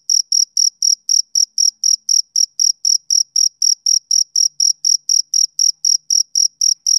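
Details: Male cricket on a summer evening, chirping in a shrill, even series of about four high pulses per second, continuous and clean with no background sounds.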